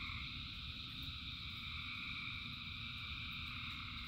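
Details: Thousands of frogs singing together in rain: a dense, unbroken chorus of layered high droning trills, steady throughout, over a low, constant rumble and patter of rainfall.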